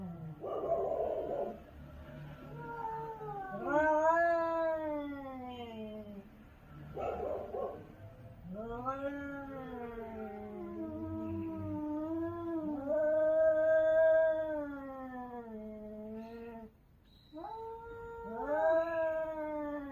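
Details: Cats yowling in a territorial fight in Korea, likely stray cats: repeated long, wavering howls with rising-and-falling pitch, overlapping callers, short bursts of scuffling noise between cries.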